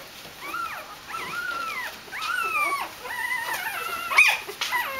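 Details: Dobermann puppies welcoming their mother Jessica back from a walk, a chorus of high whining whimpers, each cry gliding up then sliding down, overlapping continuously with brief squeaky yips.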